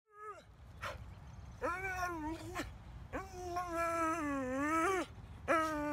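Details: Gem, a pet dog, worked up over a squirrel: a run of high, wavering whines that rise and fall, some drawn out for over a second, broken by short breaks of quiet.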